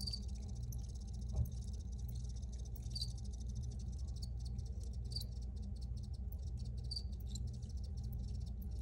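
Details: Chirping crickets give brief, bright high notes at irregular short intervals, with a faint ticking rattle between them, set against a steady low-frequency hum.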